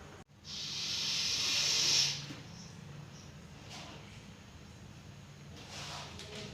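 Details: In Coimbatore a captured Russell's viper, deadly venomous, produces one swelling breathy hiss about one and a half seconds long. It grows louder before cutting off into quiet background with faint handling sounds.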